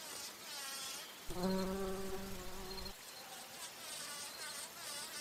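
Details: Bumblebee flying among flowers while feeding on nectar: a low, steady droning hum with a rich harmonic buzz lasting about one and a half seconds, then fading into a faint hiss of background noise.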